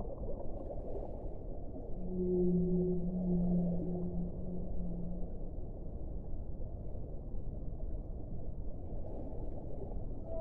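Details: Underwater whale song, a pair of sustained, steady low moans layered one above the other for about two seconds, fading into a continuous deep, murky rumble of water.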